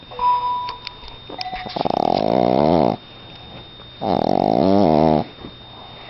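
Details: Dog asleep indoors, snoring loudly: after a few faint clicks and a brief tone, two drawn-out, vibrating snores with wobbling pitch, separated by a short quiet gap, over a faint high whine.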